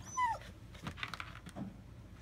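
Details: German Shepherd puppies, AKC registered, from a breeder in north central Florida, July 2017: one brief high whine sliding downward, then soft scattered yips and rustling in a small room.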